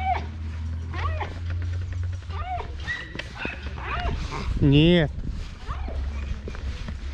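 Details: A female Rottweiler named Mirana, worked up over her obsession with a ball, lets out repeated rising-and-falling whines, building to one loud, strained whine near the end, while a man speaks over a low background hum.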